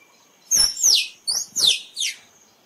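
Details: Squirrel calling, used to attract squirrels for photography: five sharp, high-pitched downward-sliding squeaks in quick succession, strong and clear against a quiet background.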